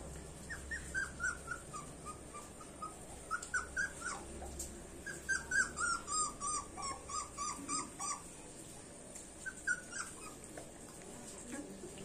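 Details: Street dog puppies whimpering and yelping in a rapid run of short, high, falling cries, several per second in bursts, with quieter gaps between and a steady low background hum.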